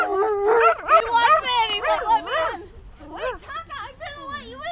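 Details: Male Alaskan Malamute, overjoyed at seeing old friends again after a year, pours out rising-and-falling howl-like warbles in a fast stream, then shorter, lower sliding moans after a brief pause.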